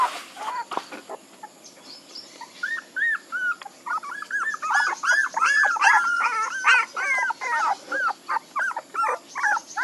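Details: Puppies starting with a few scattered whimpers, then breaking into dense, rapid, overlapping yelping whines that rise and fall. The calls come about two or three per second toward the end.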